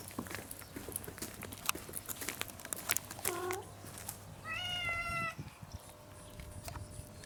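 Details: Hungry house cat meowing because it wants its meal soon: a short low meow, then a longer, higher drawn-out meow, over background clicks, rustling and faint household noise.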